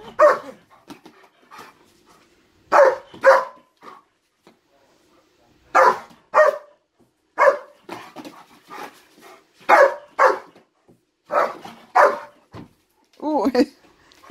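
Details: German Shepherd agitated by something in a closet, giving a long series of loud, harsh barks in pairs and short runs every second or two, ending in a high whine, indoors.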